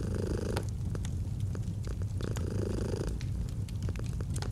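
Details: Domestic cat purring, recorded for a cozy autumn ambience with a fireplace: steady low rumbling purr with a softer breathing swell about every one and a half seconds, over scattered sharp crackles and pops from the fire.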